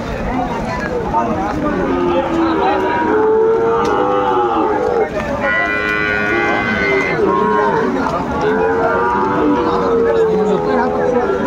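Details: Sahiwal bull trading at a wet, rainy cattle market in Madaripur, Bangladesh, 3 September 2024. Long, steady, droning moos held for about two seconds, several in a row, over a background of men talking and haggling.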